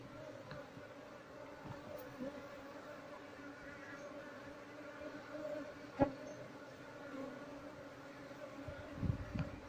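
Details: Asian honey bee colony nesting inside an active loudspeaker, disturbed while its honey is harvested and the bees moved, queen not found. A steady droning hum with two bright tones, occasional clicks and knocks from handling, and a soft voice.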